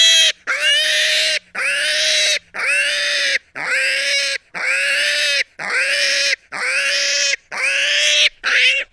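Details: Repeated shrill pig squeals, about nine in quick succession, each a strained, level scream under a second long, separated by short silent breaths; a brief faint low hum sits beneath early on.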